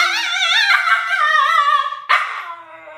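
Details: Alaskan Klee Kai named Sky, a mini husky, howling in reaction to its owner's sneezing during allergy season. A long wavering harmonic howl slides downward, then breaks into a sharp yelping rise near the end.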